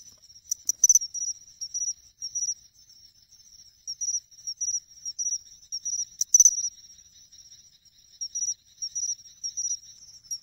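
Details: Pine cricket singing at a reservoir pond in Ehime, Japan, in August: high, clear ringing chirps in short bursts of two or three notes, repeated steadily with brief pauses and a couple of sharper clicks.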